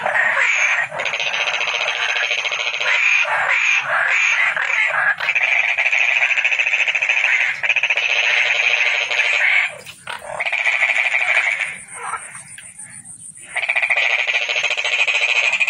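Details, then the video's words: Long, dense pulsed trilling from a calling toad, high-pitched and continuous, dipping briefly twice before resuming strongly. "Toad Calling Sound"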